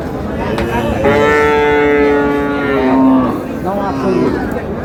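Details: Cows for meat at a farmer's market purchase in Brahmanbaria, Bangladesh: one long, steady, droning moo lasting about two seconds, then a shorter lower moo, with traders bargaining over prices in Bengali around it.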